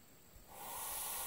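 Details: Hognose snake acting like a cobra, a harmless snake in bluffing display: after a faint tap, a smooth airy hiss swells in and continues steadily for the second half.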